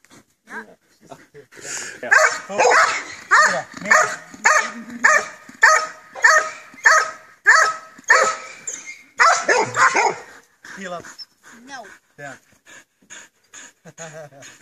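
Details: Belgian Malinois in bite suit running attack training, barking loudly and steadily, one harsh bark roughly every half second for several seconds, then breaking into softer whines and yelps, with a trainer talking in the background.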